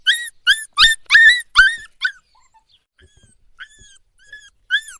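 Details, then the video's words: A puppy cries at night: a burst of loud, harmonic yelping whines, fading to a near-silent gap, then a few quieter drawn-out whimpers returning. "Dog Whining Sound"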